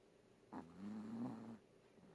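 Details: Chihuahua named Koharu snoring during a daytime nap: one drawn-out, buzzy, nasal snore lasting about a second, steady and slightly rising in pitch, in a quiet room.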